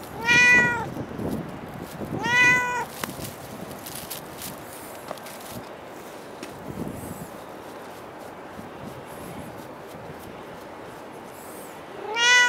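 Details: Cat outdoors at Dockyard Garden, recorded in late November at dawn: two clear harmonic meows about two seconds apart near the start, a third beginning at the end, with faint urban background hum between.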